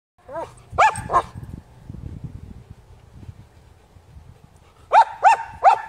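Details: German Shepherd barking at objects with wheels: a single bark, then a quick pair, a pause with low rumbling background noise, then three loud sharp barks in fast succession.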